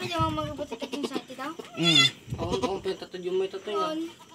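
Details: Newly born goat kid on a backyard farm, giving one loud wavering, quavering bleat near the middle, with shorter harmonic cries around it, mixed in with steady human talk close by.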